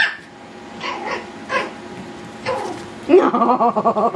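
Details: Yorkshire Terrier puppies playing wildly indoors; faint scattered yaps early on, then a burst of rapid, high, harmonic yips and squeals pulsing several times per second in the final second.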